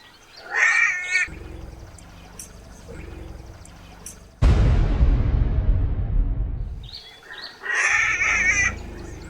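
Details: A struggling newborn African elephant gives shrill, harmonic screams over a low rumbling background.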